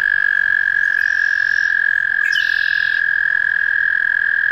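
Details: Steady unbroken high trill from an American toad, held throughout, with a faint second trilling voice layered in the middle.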